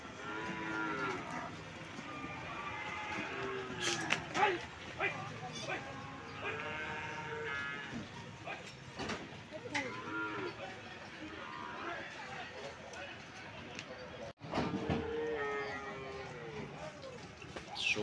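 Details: Calves at a cattle market in Sokaraja, several moos with harmonic bands among steady crowd noise, people talking and market clatter throughout.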